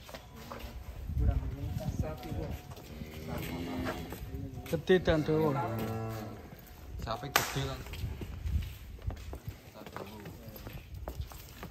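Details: A giant fattened cow from Cirebon, Indonesia, leaving its pen, gives a long, low, harmonic-rich moo in the middle of the stretch, with nearby chatter, background music and a sharp knock.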